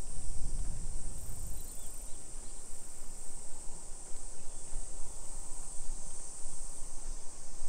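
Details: Summer cicada chorus in a Nisshin city neighborhood, Aichi Prefecture, Japan, July 2021 afternoon; a constant piercing hiss drones on without pause while low rumbling walking noise swells at the start and continues beneath.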